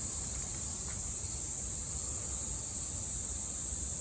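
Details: Summer cicadas in Japan, 2022: an unbroken high, sizzling drone that stays level from start to end, with soft low-pitched background noise underneath.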